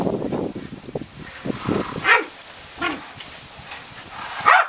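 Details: Welsh Corgi named Roku, a pet dog, vocalizing affectionately toward its owner; a few short rising yips and whines rise above softer low grumbling sounds, with quiet room noise behind.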